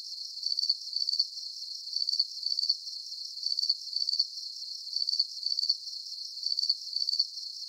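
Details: Steady cricket chirping meant as a deep-sleep nature sound: clusters of fast, high trilled pulses repeat at an even pace roughly every half second, separated by brief quieter gaps, nothing else audible.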